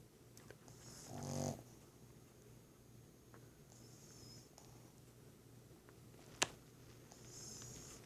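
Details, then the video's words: Sleeping Boston Terrier snoring softly indoors: breaths come about every three seconds, first a rough, low rattling snort, then thinner, high whistling nasal wheezes, with one sharp click between them. "Boston terrier snoring"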